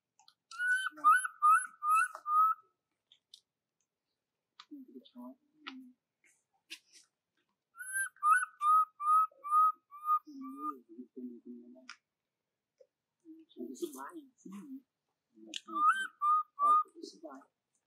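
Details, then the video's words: Young monkey cries for its mother until it falls asleep: three bouts of quick, piping whistled notes, five to seven per bout, separated by pauses filled with low murmuring human voices. "Pity monkey baby Jovi c rying call her mom Joyce until fall asleep"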